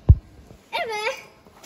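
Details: Cat meowing while a mother cat nurses her kittens: one short, arched, tonal meow rising then falling, preceded by a soft thump, with Turkish speech nearby.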